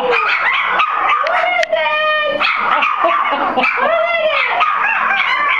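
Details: Four-week-old Soft Coated Wheaten Terriers, several pups together, howling at an unfamiliar voice; arched rising-and-falling howls and high whining yips overlap densely, with a voice mixed in.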